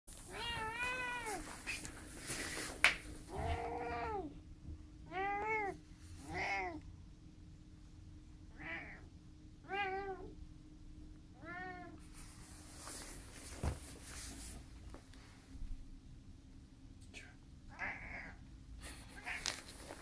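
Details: A cat meowing to ask for a door to be opened: a run of arched, rising-and-falling meows about once a second, then a pause with knocks and rustling, then a few softer meows near the end.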